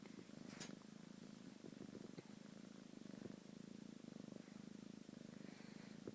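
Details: Domestic cat named Shade purring steadily, a low continuous rumble with a pulsing rhythm throughout, a soft tick and brief rustle near the start and end.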